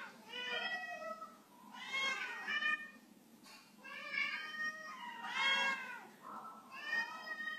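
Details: House cat failing to jump off a waxed floor, producing drawn-out, wavering meows in overlapping bursts, quieter and more distant, with a steady hum of indoor background.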